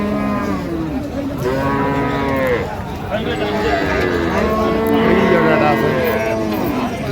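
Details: Cows with calves at the Raniganj cattle market in Dinajpur on 23 October 2025; several overlapping harmonic moos and lowing calls, some rising then falling, over a steady crowded market din with people talking.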